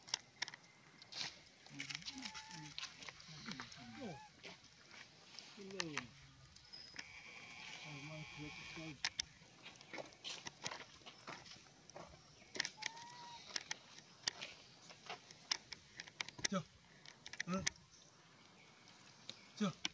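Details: Baby monkey sobbing loudly, said to be suffering abuse; wavering, rising-and-falling whimpering cries in bursts early on and again midway, over background voices and scattered clicks and knocks.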